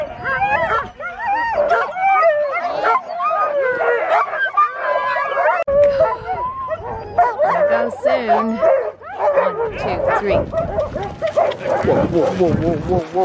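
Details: Excited Malamute chorus during Mush Larose sled dog training, Farran Park, Ontario, December 19, 2020, with Mama Sola and daughter Sojou among many dogs: layered whining howls and yelps throughout, with people talking over them.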